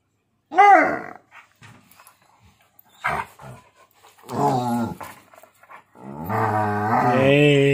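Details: A husky and a pitbull play-fighting indoors, trading revenge nibbles; a short sharp yelp-like cry, then drawn-out harmonic growls and grumbling vocalizations in long bursts, the last lasting nearly two seconds, with brief clicks between.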